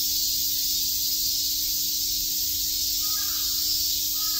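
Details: A continuous shrill buzz from many cicadas in Shakujii Park, Tokyo, on a summer day; near the end a distant crow gives a couple of rough caws over the steady chorus.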